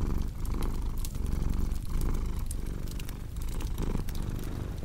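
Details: Rumbling purr of a cat, steady and low with gentle swells on each breath, accompanied by scattered popping and crackling of burning logs in a fireplace.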